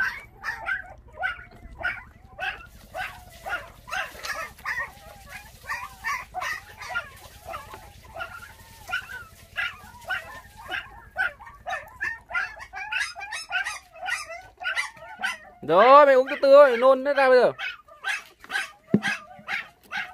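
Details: Five orphaned puppies, their mother stolen when they were six days old, bottle-fed on milk: a steady stream of short, high squeaky whimpers overlapping one another, with a louder, longer wavering cry near the end.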